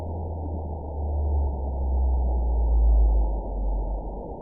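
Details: Played back during a bioacoustics conference presentation, a baleen whale social call rumbles very low and sustained, with a few tonal bands that gradually grow louder toward the third second before fading slightly. There is faint background hiss.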